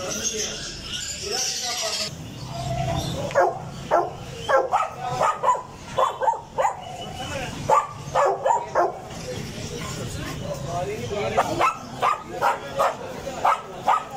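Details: Dogs barking: a long run of short, sharp barks, often in quick pairs or triplets, repeating steadily through most of the stretch after a brief lead-in of other sound.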